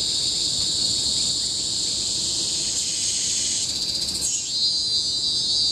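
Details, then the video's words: Bukit Timah Hill rainforest, Singapore, 2017: cicadas drone in a shrill, even wall of sound, shifting in tone past the four-second mark with a brief rapid flutter before settling into a new steady high note. "Symphony of the Cicadas in Bukit Timah Hill-Singapore"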